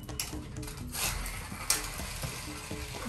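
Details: Indoor clattering and rustling with a faint mechanical whir, free of any animal call.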